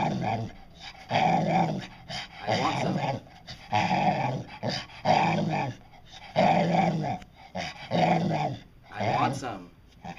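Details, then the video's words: Dotty the talking dog growl-moans in drawn-out phrases that mimic "I want some", several long voiced bursts separated by pauses, a person coaxing her in a small room. "Talking Dog"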